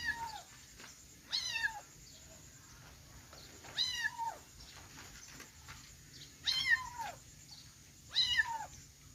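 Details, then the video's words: Four shrill, arched kitten meows ring out at uneven intervals, each bright with stacked overtones and slightly drawn out, with low background noise between calls. "cute kitten sound|kittens meowing"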